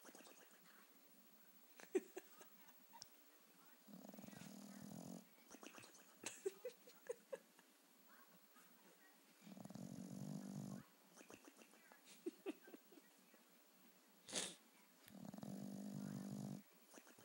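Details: Bulldog asleep on the couch, snoring comically: three drawn-out, low rasping snores, each over a second long, spaced about five to six seconds apart, with light clicks, rustling and one sharp bright noise in between.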